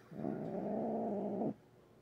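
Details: Grumpy female house cat at night giving a single sustained low growl lasting over a second, even and rumbling, in a quiet room.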